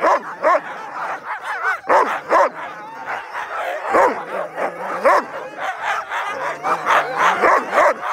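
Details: Excited sled huskies at a dog-sledding tour in Fairbanks, Alaska, yip, bark and howl together in a noisy, overlapping chorus.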